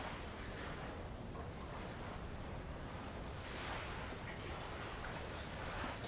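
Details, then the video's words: Tongan insects calling around the island of Avalau in the Kingdom of Tonga, by old lava at the shore. A steady, unbroken, very high-pitched whine holds for the whole clip over the soft, constant wash of light waves. "sound of light Waves on old lava and Insects"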